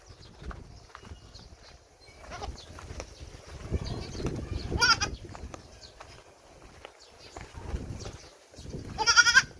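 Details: Hybrid Boer goat kept as a family pet that follows people around like a dog, giving two loud, quavering bleats with wavering harmonics, one midway and one at the end, between stretches of Filipino speech and footsteps.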